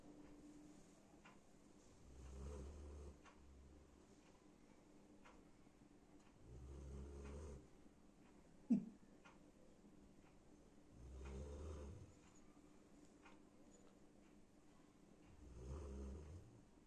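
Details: A female golden retriever asleep under a sheet snores in deep, rumbling bursts about every four seconds, loud enough to be likened to a lion's roar.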